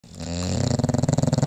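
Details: Paisley, a bulldog, snoring while asleep indoors: a rough low rumble rising in loudness, then rapid regular pulsing flutters.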